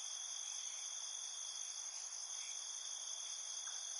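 Field crickets sing at night in a steady, high-pitched trilling chorus.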